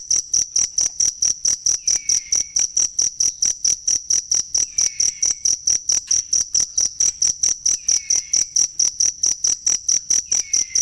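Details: Cricket heard as a training sound for songbirds: long, unbroken series of sharp high chirps at a fast, steady tempo, with a faint falling whistle returning about every three seconds.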